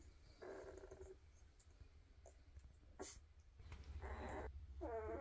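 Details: Weimaraner puppies from a 2023 litter, kept quiet indoors: soft harmonic whimpers and a short squeal, each lasting about half a second to a second, separated by faint rustling and a low steady hum.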